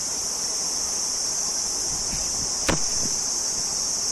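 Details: Cricket song, an unbroken high trill held steady throughout, interrupted near the middle by a single sharp click or knock.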